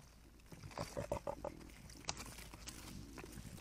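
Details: Mother javelina scolding her persistent reddish young, the reds, as they try to nurse and she refuses: a quick run of four or five short, nasal grunting squeals within a second, then a sharp click and soft rustling.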